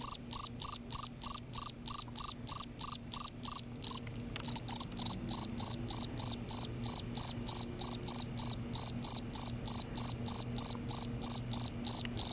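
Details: At night in Kerala, India, a cricket chirps steadily, high and shrill, about three short pulses every second.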